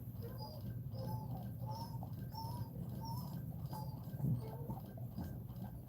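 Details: Cane Corso indoors during a litter's birth, giving thin, high squealing cries repeated roughly every 0.7 seconds in a steady series, with a low hum beneath and a brief rustle near the end.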